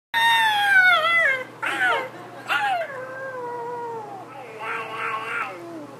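A Pekingese screams in long, high, wavering wails that slide downward, broken by shorter yelping bursts.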